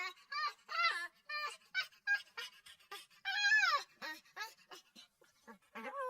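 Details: Puppy crying with quick strings of high, trembling whimpers and a longer drawn-out whine that drops in pitch, followed by more short whines.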